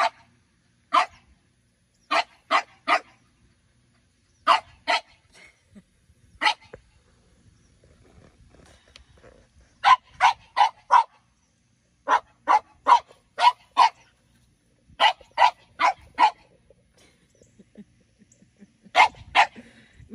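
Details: French Bulldogs in a garden under a grape pergola, young Minnie Rose just wanting to play with ten-year-old Sami; rapid volleys of sharp barks, mostly in groups of three to four, repeating steadily throughout with short pauses.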